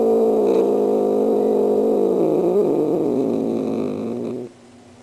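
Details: Star, a female pet cat, practising her greeting for Halloween visitors: a long, low, harmonic yowl with a throaty pulsing of about four beats a second, steady for over four seconds, then cut off sharply into quiet.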